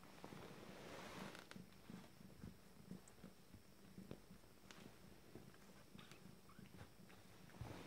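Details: A 19-day-old Abyssinian kitten from a first litter, described as unflappable, purrs with a low, steady, rhythmic rumble, with faint rustling nearby.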